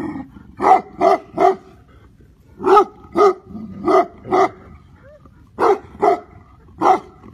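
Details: Tibetan Mastiff barking in groups of two or three deep, harmonically rich barks, each burst separated by pauses of about a second; quiet background.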